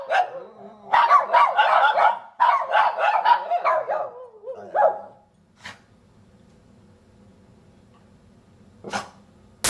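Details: Three Shih Tzus howl and bark together in a session of wavering, yelping bursts that rise and fall over a few seconds.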